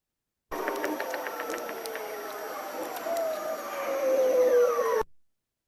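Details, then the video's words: A ribbon seal's sweep glides smoothly downward, mixed with the trills of bearded seals and the knocks of walruses, in an underwater ocean recording. "we've got a ribbon seal sweep"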